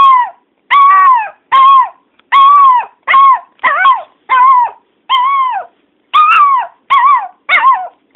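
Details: Pet dog named Teddy barking and howling because he misses his owner's sister when he cannot see her; loud, tonal, wavering yelps with clear harmonics, repeated roughly once a second in an irregular series, nothing else audible.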